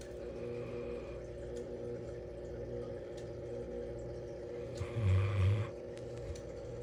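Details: A female Bloodhound, asleep indoors with her head by the Christmas tree as she is every night, gives one deep, rasping snore over a steady low indoor hum.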